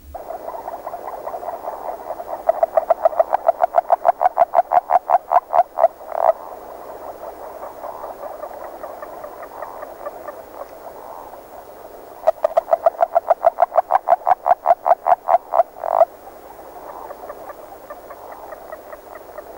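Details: Agile frog, a species singing early in the year, gives two bursts of rapid, evenly spaced clucking notes. Each run lasts about four seconds and speeds up slightly before stopping abruptly, over a soft, continuous background chorus.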